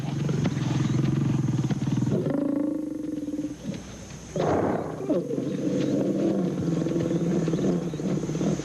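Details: Hungry young male lions taking on an adult hippo; deep, rasping growls and snarls with strong harmonics run almost without pause, dip briefly near the middle, then return in a loud burst and drawn-out rumbling.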